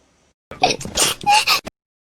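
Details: A hedgehog sneezing: a short burst of breathy, hissing noise with a brief squeaky tone inside it. It lasts about a second and falls silent afterwards.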